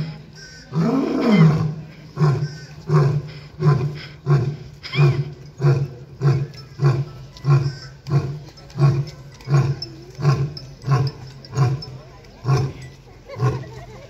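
A lion gives one full, deep roar, then a long run of short grunts, about one every second.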